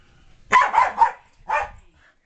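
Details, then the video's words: Indoor playtime: Loki, a Keeshond, chases a Maltese, Yorkie and Poodle mix called Spike, with a quick run of three barks followed by a single bark after a short pause. "Keeshond chasing a Mutt"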